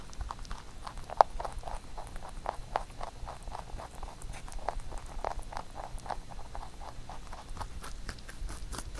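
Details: Rabbit nibbling a carrot songpyeon made for Chuseok; soft, steady chewing patter with small crisp bites and one sharp crack early on.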